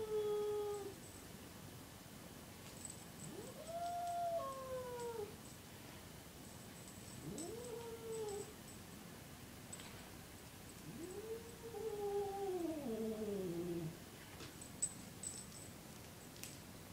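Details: A Siamese cat chasing a 6-month-old, 43-pound lab/shepherd/Catahoula puppy gives drawn-out, wavering yowls that rise then sag, voicing its unhappiness.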